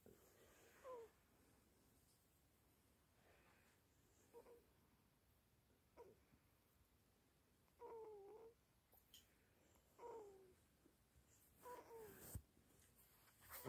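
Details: Teething Chihuahua puppy named Toby, awake all night and exhausted, giving soft, high whimpering cries that rise and bend. Roughly a dozen brief whines come in scattered bursts, separated by quiet pauses in a small indoor room.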